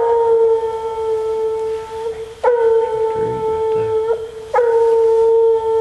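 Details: Coon hunting with a female Bluetick Coonhound. She bawls in long, level, ringing howls, each held nearly two seconds, three in close succession with brief breaths between. A few faint thumps sound under the second howl.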